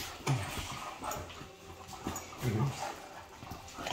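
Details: Male and female Great Danes playing rough together: low, rumbling grunts around the first half-second and again near two and a half seconds, ending in a loud sudden growl.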